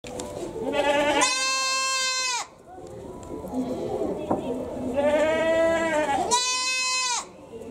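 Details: Goat at Tobu Zoo in Japan, its call likened to a human crying: two long, loud, strained bleats, each about a second, rich in harmonics with a wavering tone, separated by murmuring visitor voices.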